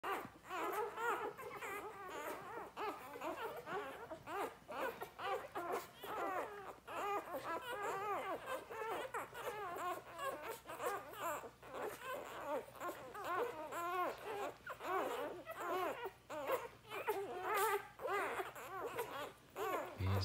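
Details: Labrador Retriever puppies, Sadie's litter, on day 4 during an afternoon lunchtime feed, hungry and nursing; dense overlapping squeaky whimpers and grunts run continuously, with many pups calling at once indoors.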